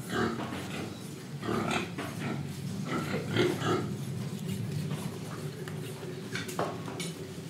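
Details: Pigs in Indonesia grunting and snuffling while breathing and eating, a steady low rumble broken by short broadband snorts and chewing clicks, with faint clattering in the background.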